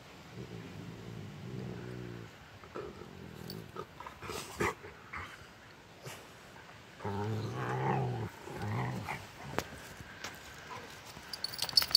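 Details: Rottweilers play fighting give low, rumbling play growls in bursts, with scuffling noises between.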